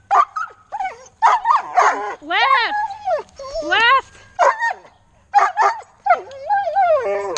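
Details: Belgian Malinois husky mix puppy named Turbo attacking pool noodles: bursts of high, bending whines and yelping yips, some rising then falling, in quick clusters with short pauses, a human voice mixed in.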